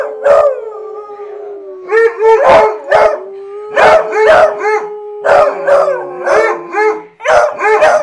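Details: Several pet hounds howl together after being riled up by their owner, a musical chorus of long wavering mid-pitched howls with sharp bursts overlapping almost continuously across the clip.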